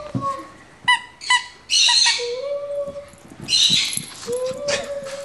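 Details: Shih Tzu puppy playing wildly and attacking, recorded October 31, 2009: a few sharp, high yips, then drawn-out level whining tones and a rough, noisy burst, with quiet gaps between.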